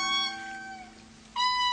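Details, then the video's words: An indri, Madagascar's largest lemur, gives long, wailing, harmonic notes in its evocative early morning territorial call. "Hear that? That's the evocative early morning territorial call of the Indri."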